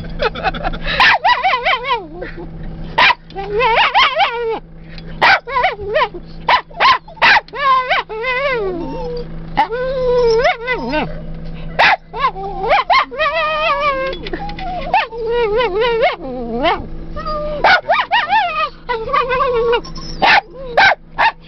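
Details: Excited rat terriers in a field of prairie dogs at Badlands National Park, April 2008, giving sharp barks and high rising-falling whines in rapid bursts, with a steady engine hum beneath.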